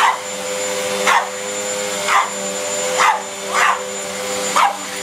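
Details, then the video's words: Pug that is scared of the vacuum barks at it, single sharp yaps spaced about a second apart, six in all, over the constant whine and hum of a running vacuum cleaner. "Pug barks at vacuum!"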